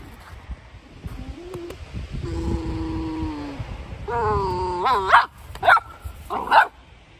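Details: A one-year-old Golden Retriever whines in long, steady, slightly falling tones, then rises into a squeaky yelp and three quick, sharp barks over a faint low background rumble.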